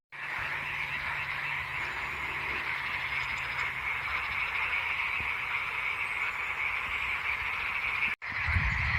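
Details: Dense frog chorus from a mountain lake, Karagöl in the Amanos Mountains of Hatay, Turkey, frogs described as in full swing; unbroken overlapping croaks and rattling trills, a faint low hum early on, a short dropout near the end.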